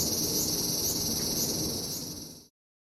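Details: Summer insect chorus of cicadas at a traditional Japanese house in Japan, a continuous high shrill hiss with slight wavering pulses, fading out after about two and a half seconds into silence.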